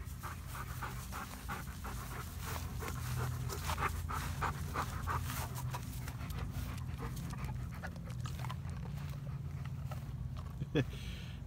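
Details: Midnight, a once-stray black dog adopted after turning up in December 2017 and sharing a home with two yellow Labs, pants rapidly and continuously, quick breathy strokes repeating several times a second over a low hum.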